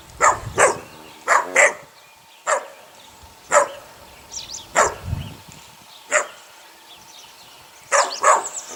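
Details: Eight-week-old puppies from a litter of six: sharp, high-pitched yelps and little barks, often in quick pairs, spaced one to two seconds apart, with faint squeaks between them.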